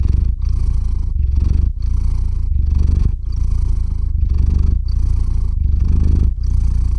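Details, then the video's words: Domestic cat purring loudly near the microphone while settling into sleep; rhythmic deep rumble broken into even breath phrases about every 0.7 seconds, separated by brief quiet gaps. "Кот мурлычет на микрофон и засыпает/The cat purrs on the microphone and falls asleep"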